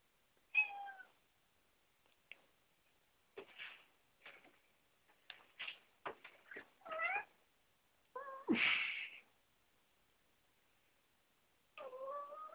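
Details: Pet cats indoors as one climbs onto a door and another cat looks on: several tonal meows, some rising then falling, spread across the stretch, mixed with soft thuds, clicks and a brief rustling burst.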